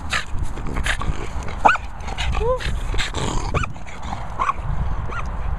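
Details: French Bulldog giving short whining yelps and grumbling moans that rise and fall in pitch, several bursts over a few seconds, while a man talks and praises the dog close by.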